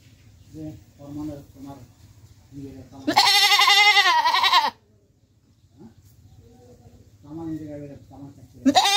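A goat gives a loud, wavering bleat, with people talking quietly before and after.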